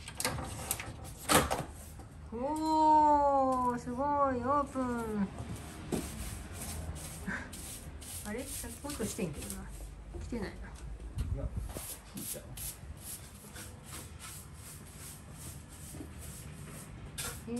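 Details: Pet cats Hidekichi and Mamedaifuku quietly watch their owner wash the litter boxes during year-end cleaning at home; a run of four wavering, drawn-out meows, then scattered soft voices and clattering in a small room.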